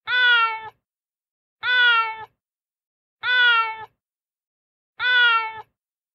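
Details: Street cat on a terrace floor after being fed, meowing angrily: four short, clipped meows evenly spaced roughly every one and a half seconds, with silence between them.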